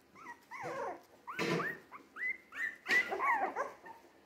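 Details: Jack Russell Terrier mix puppies, three weeks old and on the move, keep up a steady run of high, wavering whines and short rising yelps, several overlapping, with one rougher bark-like burst in between.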